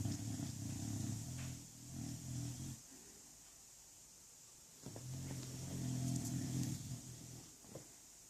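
An English bulldog snores in deep, rattling rumbles that last about two seconds each.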